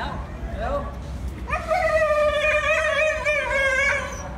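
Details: Husky from a funny pet compilation letting out a brief rising yelp, then a sustained quavering howl-like note lasting over two seconds, steady in pitch with slight vibrato, against constant low-frequency background noise.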